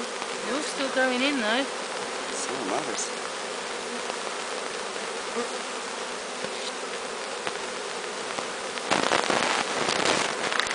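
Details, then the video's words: Bees of a swarm taken from a tall tree, walking into their new hive: a continuous low buzzing drone, an individual bee's wavering whine rising and falling early on, then a burst of rustling, crackling noise near the end. "Hiving a Bee Swarm"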